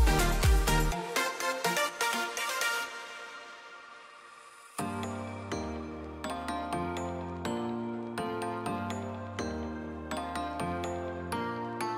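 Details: Electronic music throughout: a fading opening chord, a near-silent pause, then a steady plucked beat with repeated bass notes and no animal voice.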